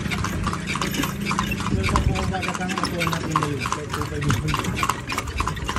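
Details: Horse ridden in Vigan, Philippines, its hooves knocking in a slightly uneven clip-clop amid voices and a busy low background rumble.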